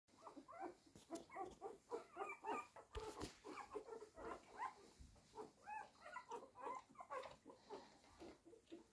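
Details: Hungry one-week-old blue roan cocker spaniel puppies, a litter, whining and squealing for food; dense overlapping high yelps and whimpers repeating several times a second throughout, with one brief broadband clatter near three seconds.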